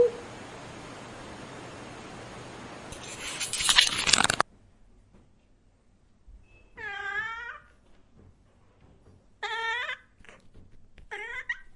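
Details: Domestic cat meowing loudly: a loud burst of broadband hissing noise fills the first four seconds, then silence, followed by three separate wavering meows spaced about two seconds apart.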